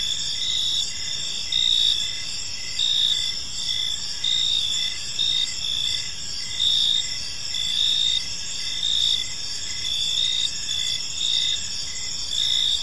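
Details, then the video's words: Crickets in a peaceful park at evening give a dense high chirping chorus, pulsed trills swelling roughly once a second, layered at several pitches above a quiet low hum. "Park Serenade: Cricket Sounds in a Peaceful Park"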